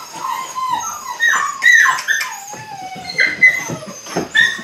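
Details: Eight-week-old Belgian Malinois puppies at the start of bite work give high, wavering whines that slide up and down, in short bursts with brief pauses between them, over faint background noise.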